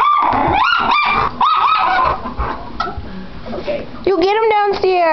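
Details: Dogs, a chocolate Labrador and a teacup Chihuahua, giving high whining yelps that rise and fall, several in quick succession at the start and a louder run of falling yelps at the end, with a person talking between them.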